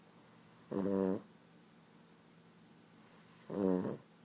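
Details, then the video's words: A Boston Terrier snores in two long, rattling breaths a few seconds apart, loud enough to wake his owner. "Snoring Boston Terrier"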